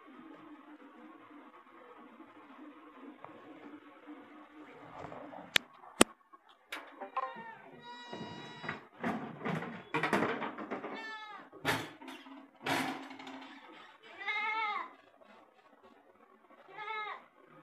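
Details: Jamunapari goat kids indoors in Hyderabad, Erragadda: several wavering, quavering bleats in the second half, some long and trembling, separated by short pauses, with a faint low hum and occasional clicks in the background.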